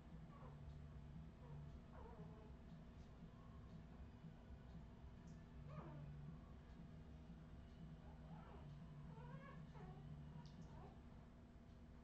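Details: Australian Terrier puppies of the Redwing line, 2018, give thin, high, wavering whimpers and squeaks in irregular bursts, several sliding up and down, over a steady low electrical hum.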